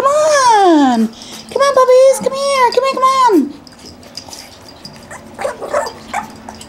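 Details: Brett, a male breeder's puppy in Akron, Ohio, with Bunny: a long, descending cry, then several arching whines that rise and drop, before a person's voice and rustling take over.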